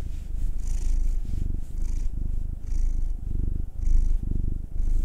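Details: Pet cats, a black male aged nine and a tortoiseshell Munchkin female aged two, purring as they are massaged indoors; a deep, even rumble pulsing in bursts about once per second with brief breaths between, soft rubbing hiss above.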